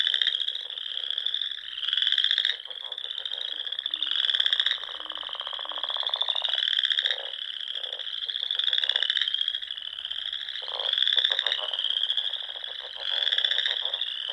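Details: Spring evening in Nebraska's Sandhills, frogs filling the air near ponds: a dense ringing trill sustained throughout, with louder pulsed croak bursts surging at intervals of about two seconds.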